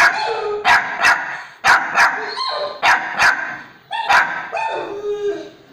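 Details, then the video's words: A domestic dog barks back at a recording of its own barking. Loud, punchy barks come mostly in quick pairs, about eight in under six seconds, separated by short tonal whines and yips. "barking on own bark"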